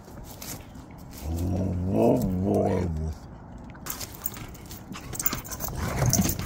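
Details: Siberian Huskies greeting dad arriving home with a rowdy howl, one wavering, rising-and-falling drawn-out cry of about two seconds, followed by scuffling, movement noise and a voice in the room.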